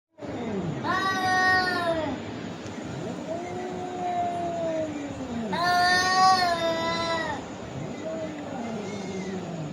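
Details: Angry cats in a fight, with long wavering caterwauls rising and falling in pitch, loud harmonic-rich yowls near two and six seconds, lower drawn-out growling moans between them over a steady background hiss.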